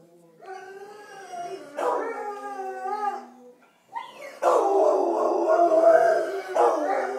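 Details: Domestic dog howling after its owner leaves, long wavering tonal howls with rich harmonics rising and falling, a short break near the middle, then a louder sustained howl.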